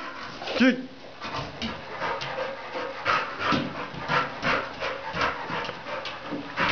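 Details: Staffordshire Bull Terrier during ball training indoors: one short tonal whine near the start, then rough, breathy panting bursts repeating irregularly, with a man's voice talking in the background.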